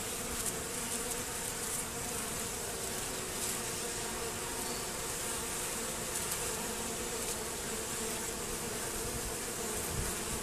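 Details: Dense buzzing of many honey bees during robbing at a hive entrance protected by a bent Z-shaped screen; constant layered droning hum with several steady tones, slightly fuller low end, unbroken for the whole stretch.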